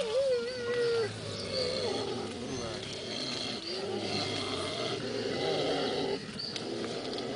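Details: Mountain gorillas of the Susa group in Rwanda; a wavering, tonal call with bright overtones opens the recording, then gives way to softer, lower murmuring vocal sounds over a steady background hiss.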